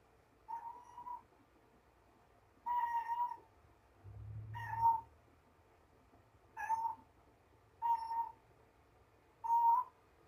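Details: Mama Ros, a mother cat surrendered to Purrfect Pals, carries a little yellow toy ball around a room and chats to it: six short tonal chirrups at a steady mid pitch, spaced one to two seconds apart, with a faint low thump.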